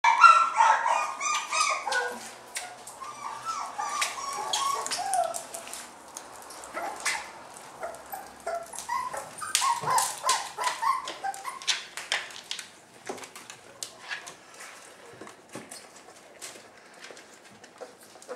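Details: Dog family with its puppies: a burst of high-pitched, overlapping whines and squeals in the first seconds, then scattered short yips and clicking noises that grow quieter toward the end.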